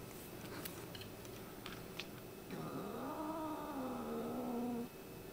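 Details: Domestic cat, one of several pet cats indoors, with an attitude problem, giving an angry call: a long drawn-out wavering yowl, starting low and rising, then holding a steady tone for about two seconds, after faint tapping and clicking sounds.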